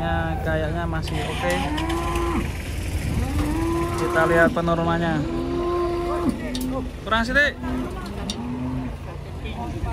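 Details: Moos from a troop of big cattle unloaded off a truck at a busy market: long, level lowing calls, some bending upward at the end, repeated by several animals in turn over a steady low vehicle hum.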